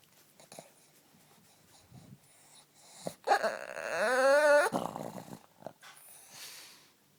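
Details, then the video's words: Male house dog in a playful, hyper mood, giving one loud drawn-out groaning whine that rises then wavers and bends up in pitch for nearly two seconds, with soft snuffles and huffs before and after. "Ugly dog makes the WEIRDEST noises!!!"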